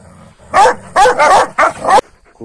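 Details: Kangals picking fights with each other at dawn, following a night meal of rabbit: four heavy, hoarse barks in tight succession, with a brief voice at the very end.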